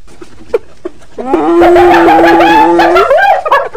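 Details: Hyena calling: a few faint clicks, then a long, steady, moaning tone that wavers and lifts at the end before fading, about two seconds in all.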